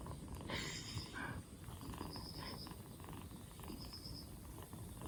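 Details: Rescued two-month-old black Bombay kitten, fourth day after rescue, cough gone and cold easing, purring with a soft low rumble; a faint high chirping tone repeats about every one and a half seconds in the background.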